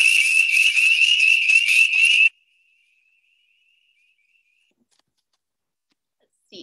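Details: Chorus of spring peepers, tiny early-spring frogs calling to attract mates, a sound loud enough to hear from a car with the windows up; piercing high peeps blend into a continuous trilling whistle for about two seconds, then silence.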